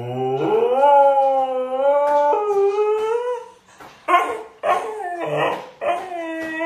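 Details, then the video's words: A Siberian Husky throwing a fit about not going out, letting out a long drawn howl with rising, wavering harmonics for about three seconds, then broken yelps and whining cries. "husky screaming woof!"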